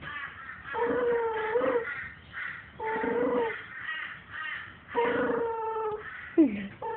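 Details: Maltese cross dog; growl; guarding its bone when touched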